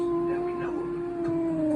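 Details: A Siberian Husky howls to get his owner up and won't quit, giving a steady, drawn-out howl that sags slightly in pitch at the end.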